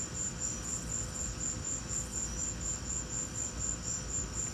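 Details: Cricket chirps amid a lightning storm: regular high, ticking pulses at about two per second, unchanging in pitch, set against a broad low background hum.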